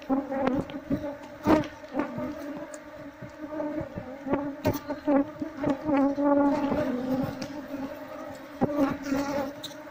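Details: Wall-dwelling honey bee colony being cut out with a knife before smoke is applied, so the queen can be caught and the bees moved to a hive box. A loud, sustained buzzing drone is punctuated by scraping and tapping.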